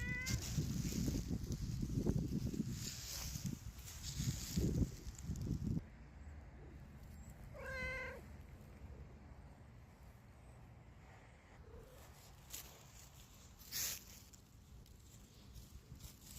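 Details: Domestic cat outdoors, relaxing on a sunny day: a single clear harmonic meow, slightly falling, about halfway through, after several seconds of loud rustling and handling noise; later only faint knocks and low background hum.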